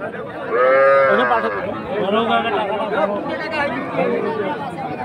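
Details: Sahiwal heifer calves at the Ambari cattle market in Dinajpur on 10 March. A loud, drawn-out, strongly harmonic moo lasts about a second, followed by fainter lowing under steady crowd chatter and talking.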